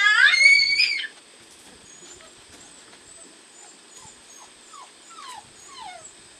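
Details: George, a 9-week-old German Shorthaired Pointer puppy in retrieving, pointing and child-socialization training, gives one loud, strained whine lasting about a second, followed by soft falling whimpers over a steady background hiss.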